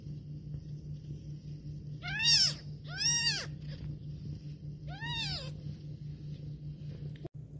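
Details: Female house cat with babies nearby meows three times during a meal, two quick rising-falling meows in succession then a third after a pause, each bright and nasal, against a constant low hum.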